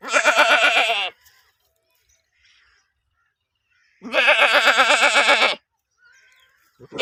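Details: Goat in the UK giving two long, loud, trembling bleats of over a second each, strongly wavering in pitch, with a quiet pause between them.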